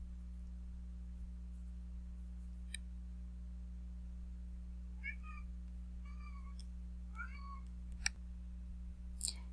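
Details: Pet domestic cat crying indoors in the background of a recorded lesson: three or four short, faint, wavering meows in the second half, over a steady low electrical hum, with a few soft clicks.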